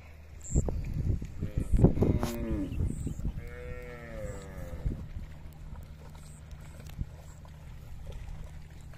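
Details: A herd of cattle going down to a river together; two drawn-out, harmonic moos, the first bending downward, then a longer arching one, over low rumbling and splashing, fading to quiet background noise.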